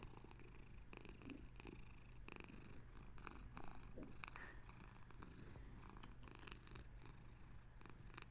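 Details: A female Bengal cat settling down to sleep purrs in a gentle, low, steady, continuous rumble.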